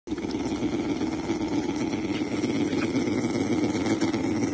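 Bear cubs humming, a steady, low, motor-like buzzing drone with a rapid pulsing throb.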